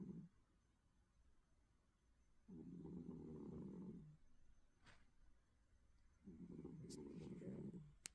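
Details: Snoring cat fast asleep: two long, droning low snores of over a second each, separated by quiet exhalations, with a couple of faint clicks in the background.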